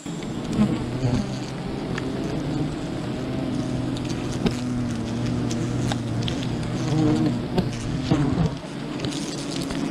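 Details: Bees from a wild colony swarm around honey hunters, giving a dense, continuous low hum with a strong deep band and several stacked overtones, plus rustling and knocking noises throughout.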